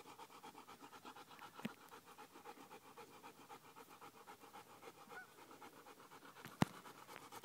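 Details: Bullmastiff and bull terrier cross dog panting hard after running one mile on a hot day; steady rapid breaths, about three per second, continue throughout, with two sharp clicks and a brief spoken remark about calming down.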